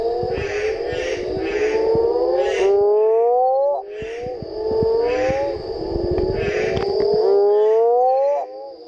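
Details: Mexican burrowing toads (Rhinophrynus dorsalis) give long, low moaning calls that slide upward and overlap one another, recorded on 4 June at El Duende creek on the Indio Desnudo trail, Santa Rosa sector, ACG.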